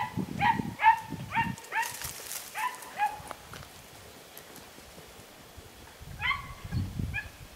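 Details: Podenco Andaluz, 3 December 2011: a quick run of sharp, ringing yelps over the first three seconds, a quiet pause, then another short burst of yelps near the end.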